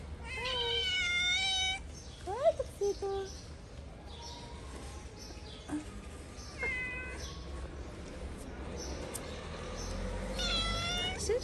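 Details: Friendly stray cats in Morocco, repeated meows: a long harmonic mew at the start, short squeaky calls and clatter in the middle, another drawn-out meow at the end, over a low background hum.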